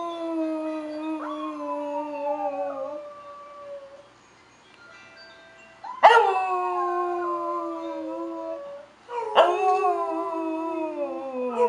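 A corgi howls in long, clear, wavering tones that slide slowly downward, with a fresh rising start each time.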